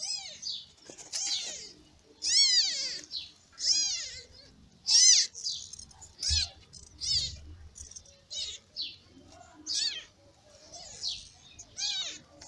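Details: Newborn kittens of a ginger mother cat, born in May, crying while sleeping and feeding: a run of high, thin arched mews repeated in quick irregular bursts, nearly a call every second.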